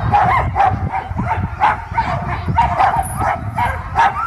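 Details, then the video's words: Excited sled dogs at Caribou Crossing in Yukon Territory bark ahead of the sled takeoff; a busy chorus of high yips and barks, several per second, over low background rumble. "caribou crossing sled dogs takeoff"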